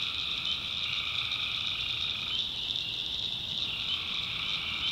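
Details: Many tree frogs at night in North Carolina swamp backwoods produce a relentless high trilling chorus; a lower band of calls stops midway, then resumes near the end.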